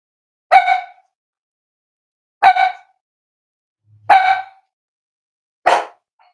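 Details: Cavalier King Charles Spaniel puppies playing and exploring together: four sharp, bright barks spaced about two seconds apart, each short and clipped, with quiet pauses between them.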